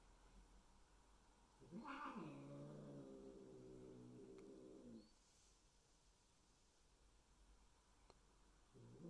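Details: Domestic cats during an introduction of new Bengal kittens to resident adult cats indoors: a low, harmonic-rich growl lasting about three seconds, rising briefly into a higher wail at its start, then quiet room.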